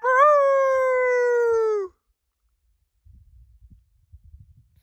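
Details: Under a full moon at night, a coyote gives one sustained howl of almost two seconds that lifts briefly and then sinks slowly, followed by faint low rustling.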